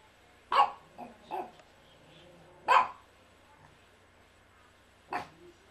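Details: Female Yorkshire Terrier, aged three, in a home living room, barking in an uneven series: a loud bark, two softer quick follow-ups, another sharp bark, then a final one after a long pause.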